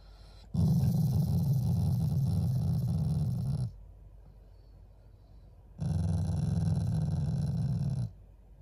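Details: A loving family Shiba Inu growls playfully toward its owners, not angrily: two long, low, gravelly growls, the first about three seconds and the second slightly shorter, separated by a two-second pause.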